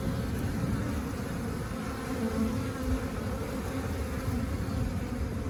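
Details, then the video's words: Honey bees, happy and busy collecting nectar and pollen outside the hive while hovering around flowers, their wingbeats making a gentle, steady, rhythmic low hum that stays dense and even throughout with no pauses. "Bees Buzzing Sound"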